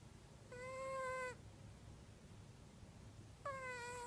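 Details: Female domestic cat in its deepest sleep, snoring, recorded indoors on an iPhone: two drawn-out, steady, whistle-like tones rich in overtones, each under a second long and about three seconds apart, over a low room hiss.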